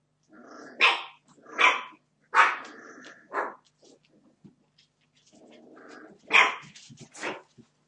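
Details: Puppies, 31 days old, being naughty; short, squeaky high barks and little growls come in separate bursts about a second apart, with quiet gaps and soft rustling between.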